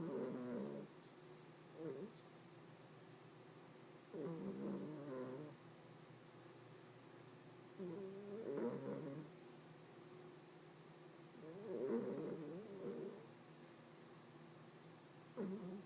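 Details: Deeply sleeping pet cat Hopey, described as snoring louder than some people, gives repeated rough, layered snores every two to four seconds, some short and some over a second long, against a low steady hum.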